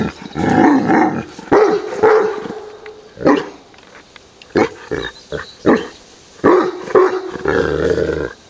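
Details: Leon, a pet Irish Wolfhound, voicing his displeasure at something, with a bell-like tone; drawn-out whining growls and short barky bursts come in repeated bouts with pauses, and a person talks to him softly between them.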